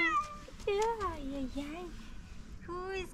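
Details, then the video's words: Calico cat, fluffy-coated, meowing in its cute voice on catching sight of a person; a run of quick, wavering meows that slide up and down in pitch, with a human voice speaking affectionately nearby. "Beautiful fluffy cat started meowing with its cute voice when it saw me"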